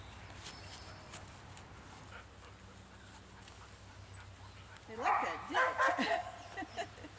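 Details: Large barking dogs encountered on a walkabout: after quiet rumble, a burst of several loud, harsh barks in quick succession arrives late, tapering into a couple of softer barks at the end.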